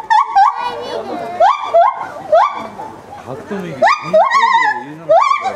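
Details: Lar gibbon, a ten-year-old male, calling outdoors at a zoo in Hokkaido, Japan, on a fine-weather day in January, his voice ringing across the grounds: rising whoops sliding upward, repeated in quick bursts with faint background voices.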